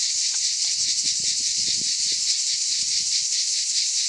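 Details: Cicadas sing in summer in the Aude, southern France, a steady, high, shrill buzz that fills the air without a break.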